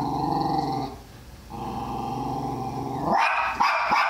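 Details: A person talks for about three seconds, then Tally-Ho, a Jack Russell Terrier going after a guinea pig, breaks into several quick, sharp barks.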